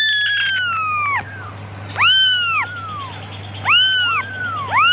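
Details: Kitten crying for its mother: a long falling meow followed by shorter arched mews, about one every second or so, each ending with a softer trailing note, over a constant low hum.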